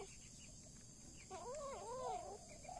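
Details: A kitten, from a scene of kittens set against a rat, cries while being held: a thin, wavering mew of several linked rising-and-falling notes lasting about a second, over steady background hiss and a low rumble.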